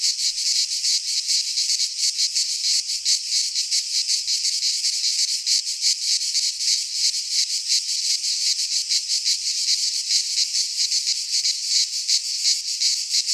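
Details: Pine forest in Greece at midsummer, thick with cicada song: a dense, high-pitched, sizzling buzz beating rapidly and without pause, many insects blending into one wall of sound.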